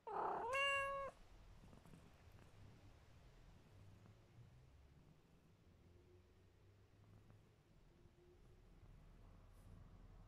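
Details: Sleepy, tolerant pet cat Mićo gives one short, clear meow near the start. The call holds a steady pitch with stacked overtones, then gives way to a faint low rumble and quiet room tone.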